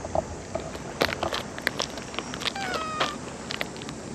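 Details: Stray cat giving a short, slightly falling meow amid sharp clicks and tapping sounds, with a faint hum underneath.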